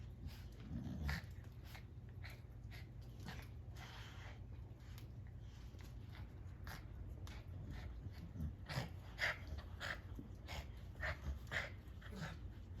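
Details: A Boxer dog makes a run of odd, funny snorts, huffs and grunting noises over a low steady hum.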